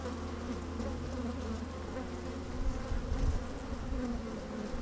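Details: Honey bees working inside an opened hive on a fine sunny day, microphone slid down among them; a steady low drone with hum bands near 250 and 500, a deeper rumble from wind at the start, occasional louder swells.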